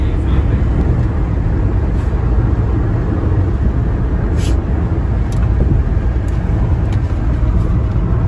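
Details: Steady low rumble of a moving car fills the recording, with brief snatches of speech and no animal voice.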